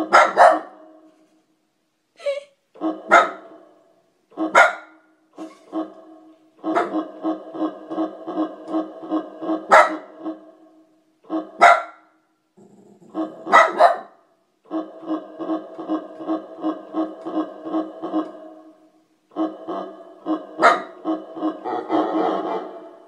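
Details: A house dog that hates keyboard sound effects answers them with repeated bouts of rapid, harmonic, growly bark pulses, each bout lasting a few seconds, punctuated by sharp bright clicks and brief pauses.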